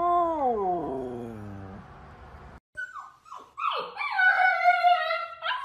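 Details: Howling dogs or puppies in a compilation: a descending drawn-out howl sliding downward, then a pause and rising, quavering yips building into a higher wavering howl.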